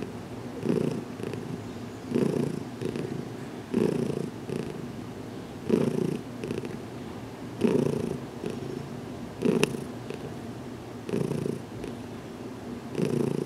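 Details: Steady contented purring from Heidi, a cat learning to accept massage, as her head is worked on in a closet; the rumble rises in regular louder surges, about seven across the stretch, with quieter purring between.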